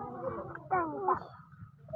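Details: Newborn Beetal goat kid, healthy and just born to a slightly weak household goat in a village: a short, wavering, harmonic bleat lasting about half a second, over a low background murmur.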